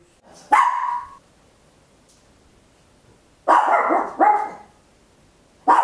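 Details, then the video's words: Tiny Papillon dog barking very loud at home, captured in stereo on an Olympus LS-11: one sharp bark, a pause of over two seconds, then a quick double bark and another single bark, each bright and clipped with quiet gaps. "Tiny Dog Barking Very Loud, Papillon"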